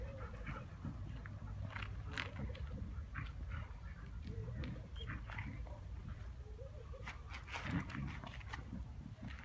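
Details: Dog at play giving short, low growling and grumbling sounds in irregular bursts, with soft thumps and scuffles of movement throughout.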